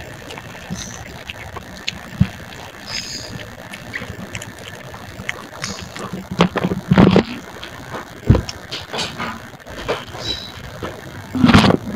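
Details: Outdoor rumble of passing vehicles or boats, with scattered knocks, splashes and faint distant voices, and no animal calls.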